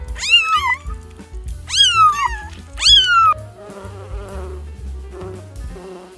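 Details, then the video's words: Domestic cat meowing three times in quick succession, each call starting high and sliding steeply downward, over steady background music that carries on after the meows stop. "Wild Animal Sounds In Peaceful: Red Panda, Cat, Dog"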